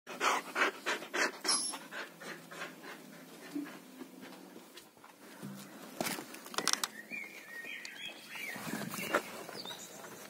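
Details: Samoyed named Luna, excited on meeting a handsome male dog, panting in quick breathy bursts of about three per second, fading midway and then picking up again, with some faint higher chirps near the end.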